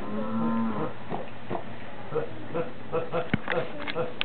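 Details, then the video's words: Goat said to go around laughing and sneezing all day: a short harmonic bleat opens, followed by a string of soft snorts and puffs, with a sharp crack near the end. "the funniest laughing sneezing goat ever!"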